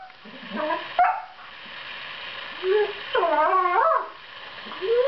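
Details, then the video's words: Two 7-month-old borzoi puppies, Velikij Pravda and Velikij Petrova, in fight-play, making sweet noises to show their fierce faces are not serious; sparse short whines and rising-falling moaning yodels with quiet gaps between. "Velikij borzoi puppy duet"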